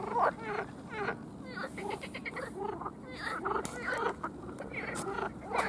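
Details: Frog; mating call; males calling to attract females at breeding sites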